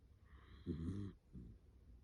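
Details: Dachshund asleep, giving a human-like snore after snorting breaths. One short, harsh snore burst is followed by a softer raspy exhale against low room hum.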